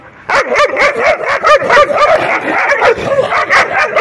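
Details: Play-fighting puppies yip and whine almost without a break, their high wavering voices overlapping in a busy, excited chorus with short sharp accents throughout.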